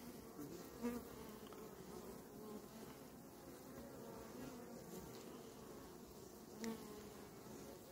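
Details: Western honey bees in a calm, honey-filled hive being prepared for winter, showing no attack or defensive reaction; a soft, steady colony hum with two short louder bumps.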